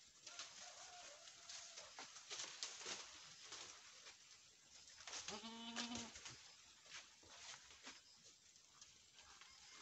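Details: Boer goat on a farm in Nepal, where a first-time doe has just kidded successfully, delivering a male kid; a single harmonic bleat of under a second arrives midway, surrounded by scattered clicks and knocks.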